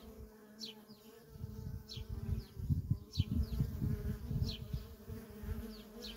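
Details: Nonstop traffic of worker honey bees at a feral colony: a steady droning hum layered over louder low rumbling pulses, while short, high, falling chirps recur roughly every second or so above it.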